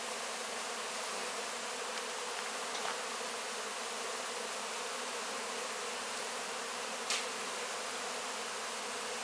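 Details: Many honey bees working over wax cappings left from a honey harvest, licking up honey; an unbroken, even droning hum with a couple of brief soft ticks.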